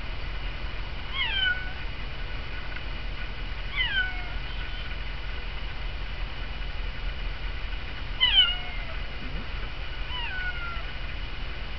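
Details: Domestic cat meowing to be let outside toward birds at a feeder in snowy weather; four short falling meows spaced a few seconds apart over a low steady hum.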